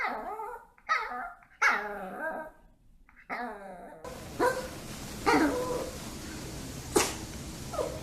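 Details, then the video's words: Pet dogs in front of treats, vocalising for a snack indoors: a run of short, harmonic barks and yelps, the later ones over a steady background hiss with scattered clatter. "간식앞에서 천재가 되는 강아지들"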